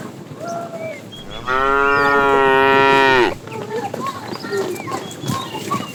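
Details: Calf mooing while cows are herded in the morning, wandering as a herd in search of food: one strong drawn-out moo of nearly two seconds, slightly falling at the end, with faint bird chirps around it.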